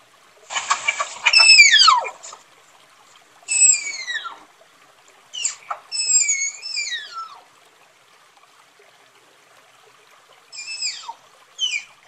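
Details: A tapir's calling: a series of shrill, harmonic whistles that slide downward. Some are long and some are short chirps, arriving in irregular bursts over about twelve seconds in an otherwise quiet setting.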